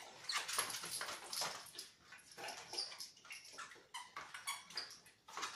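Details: Seventh-week Beagle puppies whining and squeaking, a busy chorus of high-pitched short cries that rise and fall irregularly, with several pups calling over one another.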